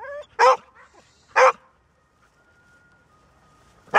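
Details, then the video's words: Golden Retriever, a dog that seldom barks, giving three loud, sharp barks spaced about a second apart, with a faint steady tone in the quiet gap between them. ""Bellen", Golden Retriever"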